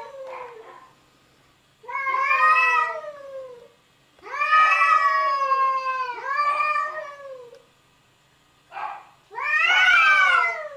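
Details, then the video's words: Arguing cats trade loud, rich wails in bursts of one to two seconds, some rising, some wavering and falling, with short silent gaps between the outbursts. "Funny Cats Arguing"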